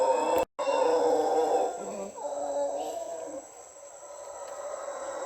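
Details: Howler monkeys high in dense Panama rainforest give a deep, continuous, excited roaring chorus that swells and fades over several seconds, with a steady insect hum high above.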